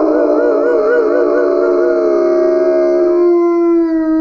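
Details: One-year-old White Swiss Shepherd howling with a man on his first birthday in Serbia. A sustained, wavering howl trembles rapidly at first, then settles into a steady, slightly falling note that holds to the end.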